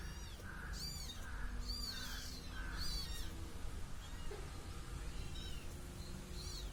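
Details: A cute little kitten meows while following a person: short, slightly nasal mews repeated about every second in a quick run, then quieter. High chirping bird notes sound over a steady low background rumble.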